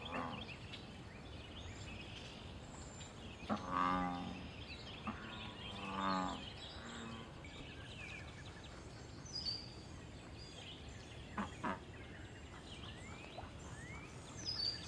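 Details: Wild American bullfrog in a pond, calling during mating, territory and fighting. Deep, harmonic, drawn-out croaks sound near 4 and 6 seconds, with a softer one after. Faint high bird chirps can be heard over a steady background hiss.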